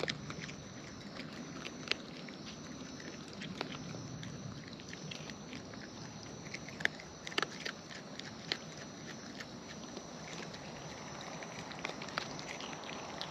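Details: Wild raccoons eating at close range: busy crackly chewing with sharp snapping clicks every second or so, quiet smacking between them, and a faint steady background hum.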